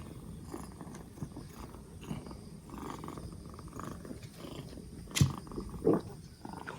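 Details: Rescued two-month-old black Bombay kitten on its fourth day after rescue, cough gone and cold healing, purring steadily indoors: a low, continuous rumbling with rhythmic breath-cycle pulses and a couple of brief louder knocks near the end.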